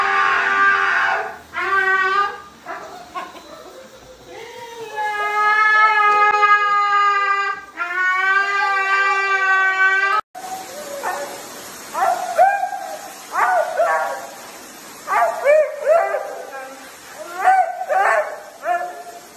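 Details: Siberian Husky in a dramatic vocal outburst, opening with several drawn-out, harmonic howls, then shifting to a run of short, rising yips and whiny yodels repeated roughly every second in a small room.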